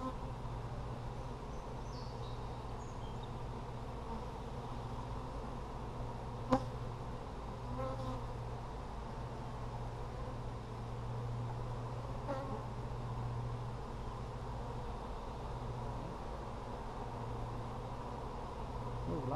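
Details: Honey bees in an Apimaye hive during a July 23, 2020 inspection for brood: a steady low droning hum runs throughout, with faint clicks and a sharp knock near the middle as frames are handled.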